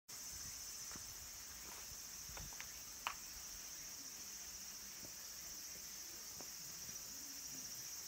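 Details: Cicadas singing at Kabusanji Temple, a mountain temple in Takatsuki City, Japan, near the end of summer, where minmin cicadas and tsukutsukuboshi call; a steady, dense high-pitched hiss holds throughout, with a few faint clicks and taps.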